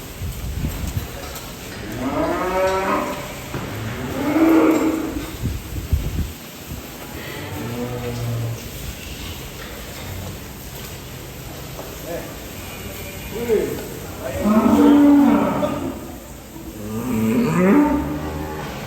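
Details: Escaped, agitated cow stuck in sucking mud; drawn-out harmonic moos swell and fade at intervals, the loudest near the middle and end, with quieter gaps of background noise between.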